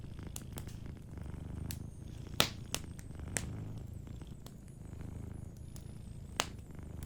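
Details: Low, softly throbbing purr from a sleeping cat continues throughout, accompanied by occasional fireplace pops and light crackling.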